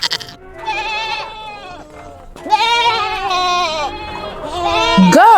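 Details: Goat bleating in long, wavering, nasal cries, a short one first and then a sustained quavering run that rises at the end, with soft background music underneath.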